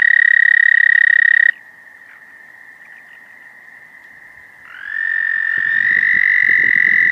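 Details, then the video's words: American toad giving its mating call: a loud, steady high trill that stops after about a second and a half, a fainter trill lingering beneath, then another trill swelling in and holding strong to the end. "American Toad Mating Call"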